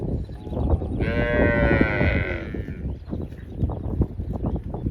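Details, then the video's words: Cow lowing: one strong, rich moo of nearly two seconds that holds a level pitch and then fades, with a constant low rumble of background noise throughout. "Cow Moo Sound"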